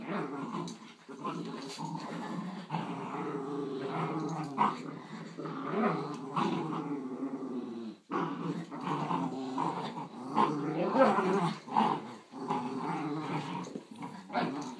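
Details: Playful growling between two Schnauzers, one a giant-breed puppy and one a grown miniature: long rolling growls with wavering pitch, a pause near the middle, then louder snarling bursts and scuffle noises.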